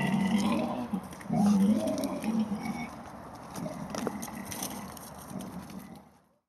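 A wild boar gives low, rough grunts in short bursts, loudest early and then fading.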